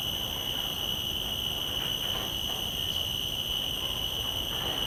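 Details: Common cicada in a field recording made with shotgun microphones on a Zoom F3 recorder: a steady, piercing high-pitched tonal whine held without a break, with fainter overtones above and a soft hiss of background noise.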